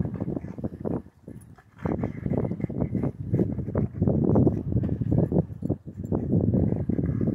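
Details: A Rottweiler at a dog park growls in deep, rough, rumbling bursts during a gentle play fight with another large dog.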